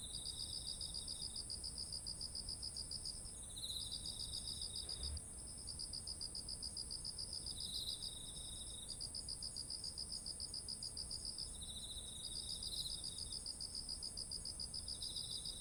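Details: Autumn insects calling beside ripe, heavy-eared rice fields: rapid pulsed chirps in bursts of a few seconds with brief gaps, over a continuous high steady hiss of other insects and a faint low rumble.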